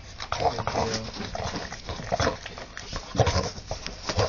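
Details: Dog named Bella giving birth to her third pup, which is born healthy; brief high squeaky whimpers recur about once a second, with people talking softly nearby throughout.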